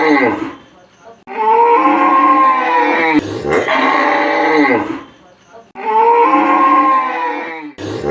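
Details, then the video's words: Cow in a village setting lowing in three long, drawn-out moos, each about two seconds. The moos are deep and richly harmonic and sag in pitch at the end, with short quiet gaps and abrupt cuts between them. "Cow sound"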